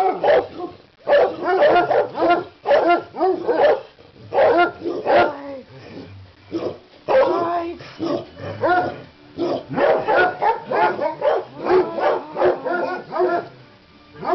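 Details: Excited barking from dogs at Christmas time while a leg of lamb cooks in a crockpot: loud bark clusters repeat through the clip, broken by brief quiet gaps, with a human voice faintly mixed in.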